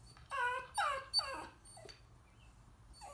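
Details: Nearly four-week-old Coton de Tulear pups at play in their pen, mother looking on; three clear whining yelps that slide downward, then a short squeak and quiet.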